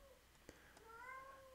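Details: Female pet cat meowing in the background: a soft, wavering meow that rises and then holds steady for almost a second, preceded by a couple of faint clicks.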